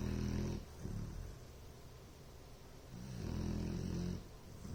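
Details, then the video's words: Deep rumbling snores from a Bloodhound: one loud buzzy snore, a quiet stretch of soft breathing, then another long low snore, slow and regular. "Bloodhound "Ellie Mae" Snoring..."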